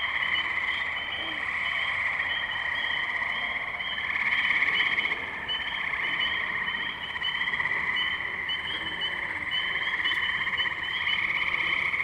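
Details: Spring chorus of tree frogs at wetlands in Firestone Park, Columbiana, Ohio, 6 May 2023, captured with a Zoom H2n: many overlapping shrill trills blending into a steady pulsing wall of sound that rises slightly midway.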